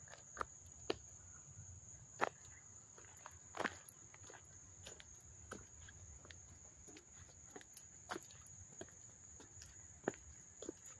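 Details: Crickets in Hastings-on-Hudson, New York, heard up close on August 13, 2024, producing a constant high, shrill ringing tone, punctuated by occasional loud clicks and soft footstep-like thuds.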